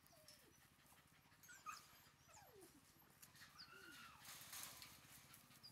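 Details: Red female Shiba Inu puppy aged 43 days whimpering softly: thin, high whines that slide downward, several short calls spread over a few seconds above a steady low hum.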